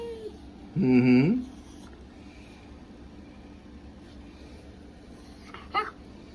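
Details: A pet Welsh terrier giving one funny, groaning moan that rises, holds, and then slides up at the end, lasting about half a second, followed by near silence and a faint short squeak.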